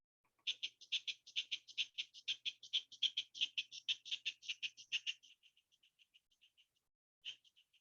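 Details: Pine squirrel warning intruders that they are too close to its buried pile of pine cones saved for winter, telling them to go away: rapid, harsh, high chattering notes about four per second, fading into softer spaced chips, then a brief final burst.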